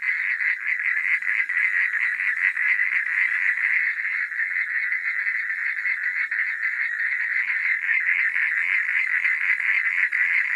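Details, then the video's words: Frogs at night in a steady, unbroken chorus of fast rattling croaks, loud and even throughout, backed by a faint high-pitched insect drone. "Suara Katak di Malam Hari"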